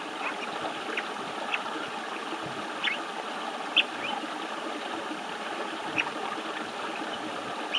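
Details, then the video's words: Amami tip-nosed frog calling at a mountain stream on 8 October 2012, giving short, high chirps every second or two over rushing water. "アマミハナサキガエル 鳴き声"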